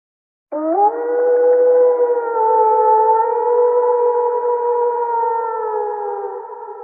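A wolf gives a long, steady howl that swoops up at the start and holds a smooth tone.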